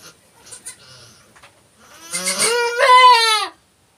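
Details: Goat bleating during a kidding on a farm: faint clicks and rustles, then a loud drawn-out quavering bleat lasting over a second, strongly harmonic and ending abruptly.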